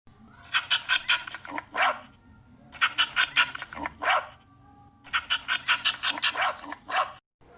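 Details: Dog barking, used in a children's lesson on animal sounds: three bursts of rapid, sharp barks, each burst about one and a half seconds long with short pauses between.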